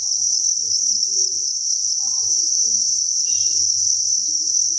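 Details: At a cricket farm, thousands of crickets keep up a constant high, ringing chirp chorus, joined by faint scattered low rustles and a couple of brief thin tonal squeaks.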